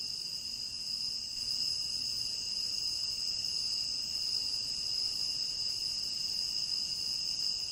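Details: Crickets chirping in a tropical rainforest, a dense unbroken high-pitched trill holding steady at several shrill pitches without pause, forming a continuous even wall of insect sound with little else audible.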